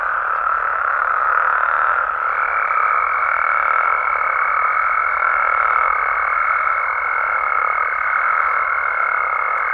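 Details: Nighttime frog chorus from Mexico. Many overlapping calls blend into a continuous rasping drone, and a clear, high, sustained tone enters after about two seconds and carries on to the end.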